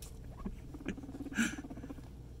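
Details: Indoor floor time for Scruff the guinea pig with a companion: soft low chuttering pulses in a quick, even series, with a couple of brief louder clicks and faint room noise.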